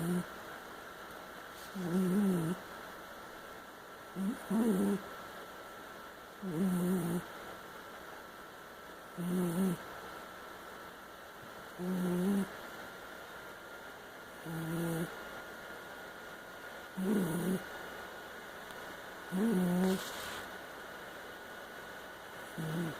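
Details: Haiku, a female pet cat, snoring rather loud while asleep: nine steady, rasping snores at even intervals of about two and a half seconds, each with a low grinding core, over a constant faint electrical hum.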